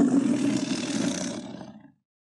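A tiger gives a single harsh, rumbling roar that swells and then fades over about two seconds.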